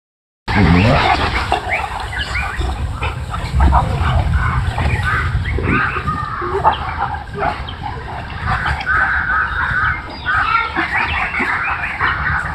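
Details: Big adult Boerboel mothers at playtime; loud rough growls and grunting, snorting noises come in close, overlapping bursts throughout, with harsh throaty rasps and no pauses once the sound begins.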